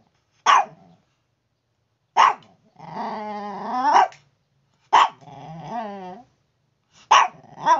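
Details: Chihuahua being noisy in the morning like an alarm clock: sharp single barks alternating with drawn-out, wavering whiny howls that rise and fall, about five bursts over eight seconds.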